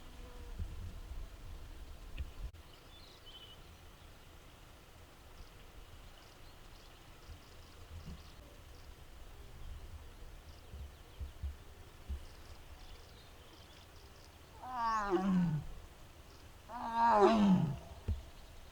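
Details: Two mournful, descending calls from Mugung, a six-year-old tiger kept in the Tiger Forest at Bonghwa's Baekdudaegan National Arboretum, filmed in April 2026 during the afternoon; a long quiet stretch of faint outdoor noise comes first.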